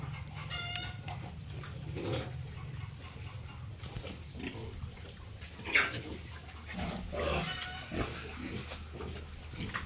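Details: Piglets on a pig farm keeping Hampshire, F1, British Landrace and Yorkshire pigs: scattered short grunts and brief squeals over a steady low hum, with one sharp high squeal near the middle.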